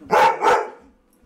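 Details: Mastiff and Husky at home, agitated after a stray dog ran by the front door. Two quick, loud, rough barks in fast succession, then fading quiet.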